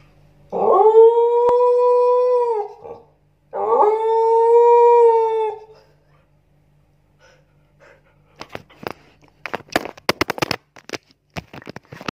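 A Siberian Husky gives two long, steady howls, each swelling quickly and then holding a mellow tone.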